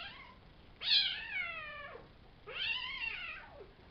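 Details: Savannah kittens from a litter of three males and two females, born April 22nd and recorded May 30th, sired by Kendi out of Gargoyle; two drawn-out, bright meows, each about a second long, arching then sliding downward in pitch, separated by a pause.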